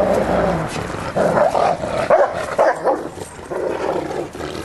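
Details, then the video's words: Bernese Mountain Dog play-fighting with its owner, growling in rough, uneven bursts that rise and fall, with some scuffling noise. "Bernese Mountain Dog - Fighting Play"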